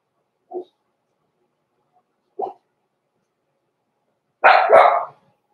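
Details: Young blenheim Cavalier King Charles Spaniel puppies in the Red Barn Cavaliers puppy pen: two faint, short yips spaced about two seconds apart, then a louder double bark near the end.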